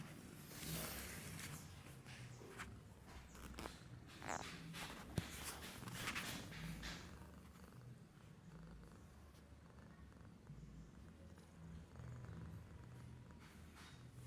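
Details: Babul, a domestic cat, sleeps and does nothing while snoring: soft, low rumbling breaths pulse steadily throughout. A few faint rustles and taps come early on, and a single sharp click sounds near the middle.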